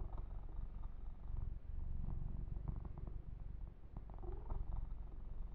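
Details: Kitten purring contentedly during an ASMR massage session, a loud low throbbing rumble with faint brushing and tapping sounds.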